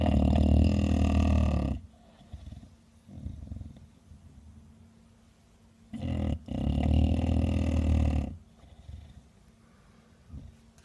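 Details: Heavy, gravelly snores from 13-year-old female Bulldog Kuu-chan: two long rumbling inhalations, each about two seconds, separated by softer, wheezy breaths, over a faint steady hum.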